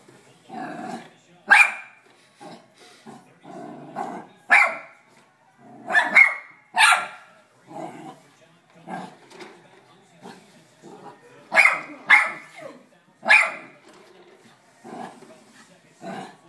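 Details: Sandi, a pet dog, barks at a vacuum cleaner. Irregular sharp barks come singly and in pairs, with quieter human speech and household noise between them.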